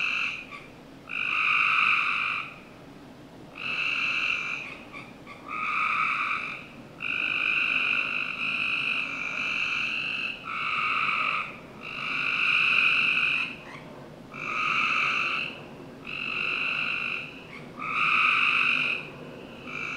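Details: Summer-night frog chorus in a Northern Virginia home's backyard. A steady series of about ten rasping, one-second trills comes every two seconds or so, with softer overlapping calls from other frogs between them.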